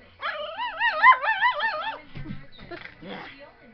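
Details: Fizzgig, a pet dog who hates even the slightest breeze on his face, in a whiny mood: a long wavering, warbling whine lasting nearly two seconds, followed by a person's speech.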